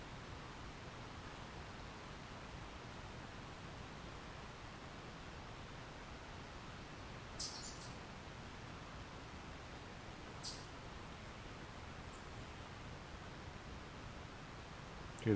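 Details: Gray squirrel in a forest beside a house on June 12, 2025, giving alarm calls in response to a fox: two sharp, very high shrieks falling in pitch, about three seconds apart, over low hiss, ending with a loud clatter.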